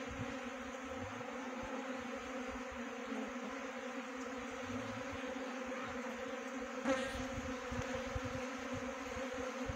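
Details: Steady droning hum of a honey bee swarm being trapped. The layered buzz holds constant throughout, with one brief sharp crackle midway and faint low rumbling beneath.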